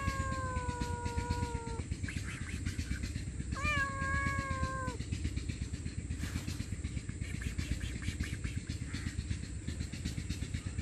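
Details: Stray cat begging loudly for food and shelter, hungry and homeless: two prolonged, steady meows, the second rising sharply at its onset before tapering downward, then only a constant low hum and hiss.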